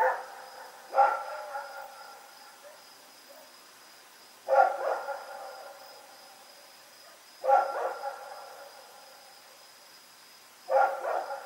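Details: Rex, a dog running around in the night, recorded Oct 7, 2018, barks four times, one sharp harmonic bark roughly every three seconds, each fading with a short echo, over a quiet background and a faint steady high tone.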